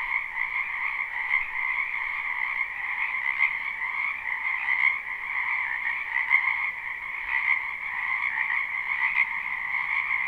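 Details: Many wild frogs croaking in a spring wetland behind a house, a live recording: a dense, unbroken chorus of high trilling calls stacked in two bright bands, pulsing continuously with no pauses and nothing else audible.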